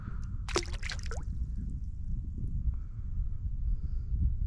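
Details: Water sloshes and gurgles with a low rumble, a brief burst of splashing near the start and faint drips, with no animal call heard.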